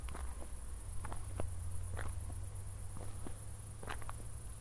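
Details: After a thunderstorm at night near Zwettl, Austria, crickets keep up an even, shrill pulsing trill while footsteps crackle along the walk and a low drone sits underneath.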